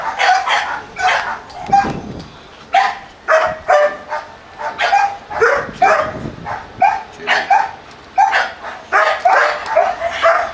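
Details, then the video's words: Pair of Doberman Pinschers at Madness Kennels in Arnos Vale, St. Vincent and the Grenadines, giving a steady run of loud, ringing barks, roughly two per second, each with a clear tonal core, nearly continuous across the stretch. "Dobermann Pinscher"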